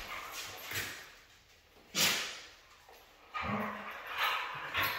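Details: A red female Siberian husky gives short, harsh, noisy vocal bursts, the loudest at about two seconds. A brief lower, tonal cry follows later in the recording.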